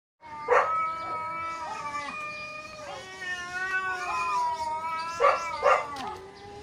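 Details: Two neighbour cats fighting hard: long wavering yowls with stacked harmonics, rising and falling, broken by two sharp louder squalls near the start and again near the end.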